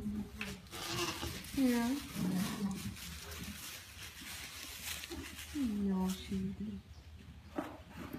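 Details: Heavily pregnant African pygmy goat doe, restless in discomfort around 9am on kidding day, gives two drawn-out falling bleats several seconds apart over a steady room hum and faint voices.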